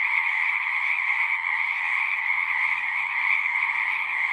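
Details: Many frogs singing together in a natural setting, a dense steady chorus of overlapping trills forming a continuous high shimmering wall of sound with no pauses.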